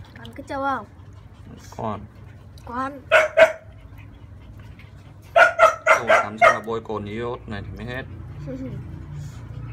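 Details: Thirty-day-old French Bulldog puppies, one a female, whine during a bath: wavering, tonal cries early on, then bursts of sharp yelps clustered around the middle and later seconds, with human voices and a low steady hum underneath.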